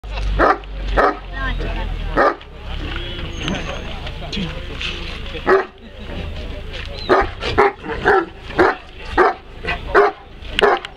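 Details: An aggressive Bucovina Shepherd Dog, recorded in 2016, barks in loud, sharp bursts, coming about once a second in the second half, with a person's voice and scattered noises in the opening seconds.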